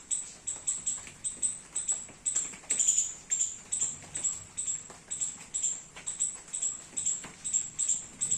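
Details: Rainy garden, squirrel eating young coconuts: a run of high, piercing chirps, roughly 140 a minute, irregularly spaced, one louder note near the middle, light dripping patter behind.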